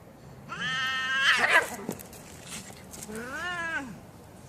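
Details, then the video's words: Domestic cats in a real fight: a long harmonic wailing yowl around half a second to 1.8 seconds, ending in a harsh burst, then a second drawn-out rising-and-falling yowl near 3 to 4 seconds. "Cat Fighting, Real Cat fight"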